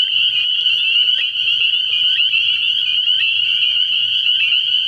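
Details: Many spring peepers at a frog pond, night, early in the year, produce a steady, shrill, high-pitched chorus. Individual peeps blur together into a constant ringing, over a faint intermittent low droning tone.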